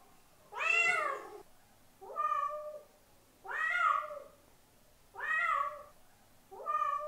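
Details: Cat calling out to draw in another cat, giving five drawn-out harmonic meows about one per second, some with a slight rise before dropping away, against a quiet indoor background.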